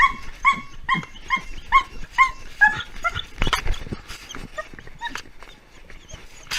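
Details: Pet dog reacting as its owner leaves, giving a steady series of high, tonal yelping barks about twice a second, later breaking into rougher, noisier barks and whines.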